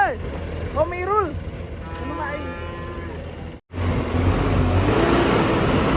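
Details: Cattle being unloaded from a truck: a few short, harmonic moos that rise and fall in the first seconds, over steady engine rumble and crowd noise, then broadband noise.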